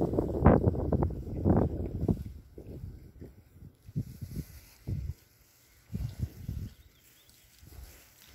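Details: Several Berkshire pigs in a new paddock give loud low grunts at the start, then quieter scattered snuffles and short grunts with silent pauses between.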